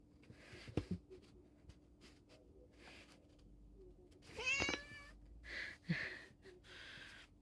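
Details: Cat under the effect of catnip powder indoors at Pulford near Chester, England, lets out a brief rising meow midway, set among scattered rustles, a sneeze and a woman chatting to it.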